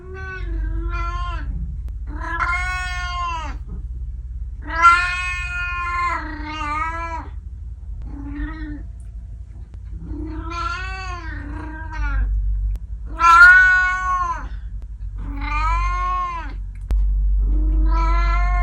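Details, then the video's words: Pet cat returning from the garden, calling repeatedly: a dense series of short and long meows, some wavering and yowling, several rising and falling, over a constant low-pitched indoor hum. "makes noises after a trip to the garden"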